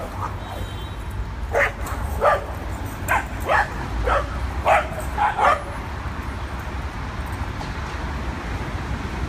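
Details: Adopted dogs playing together at a New York City dog park for the first time; a run of short, sharp barks clustered in the middle, about nine in four seconds, over a steady low rumble of traffic.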